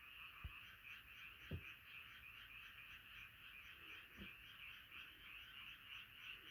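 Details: Frogs gathered in a nighttime chorus, their rapid croaks merging into a steady, rattling drone, with several dull low thumps in the background.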